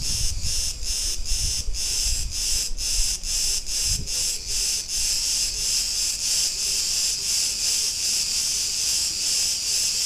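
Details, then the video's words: Cretan cicadas singing in a street of Ierapetra, Crete, Greece: a dense, loud buzzing chorus pulsing in rapid regular beats, about three per second, with faint low rumbles of street traffic beneath. "Cretan cicadas sounds"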